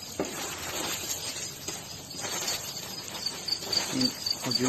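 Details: A locust swarm attacking Jiroft, Kerman province, Iran, on 25 April 2020 makes a dense, steady hiss and rustle of countless wings, with a voice near the end.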